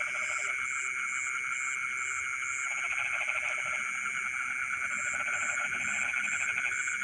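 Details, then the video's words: Frogs singing in rice fields in the middle of the night, long pulsed trills building and overlapping, with steady high-pitched insect whine and rhythmic high chirps throughout. "the sound of frogs singing in the rice fields in the middle of the night"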